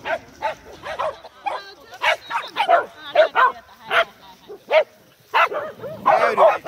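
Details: A group of Corgis playing together, recorded 12 November 2017, giving short sharp barks and yips in irregular bursts, some in quick pairs, with a louder cluster of overlapping calls near the end.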